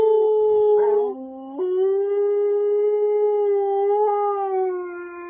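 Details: A male Siberian Husky gives a long, steady "talking" howl on cue after a one-two-three count; the howl briefly breaks and dips before resuming.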